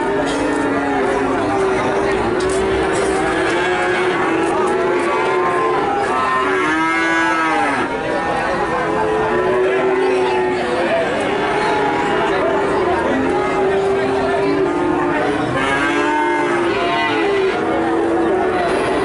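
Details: Calves in Nganjuk, Indonesia, many mooing together in a continuous, overlapping chorus of drawn-out, harmonic moos, some bending up and down in pitch, over a steady hubbub of background noise.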